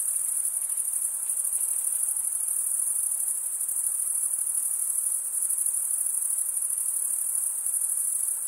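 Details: Chirping crickets, usually males, producing a continuous piercing high trill by wing stridulation; the rapid pulses hold steady in loudness across the whole stretch, with a faint low hiss beneath.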